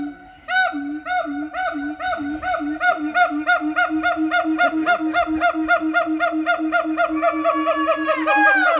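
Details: Gibbons singing while climbing: a long run of clear, hooting whoops around a steady pitch, repeated about four times a second and rising into a louder, higher climax with upswept notes at the end.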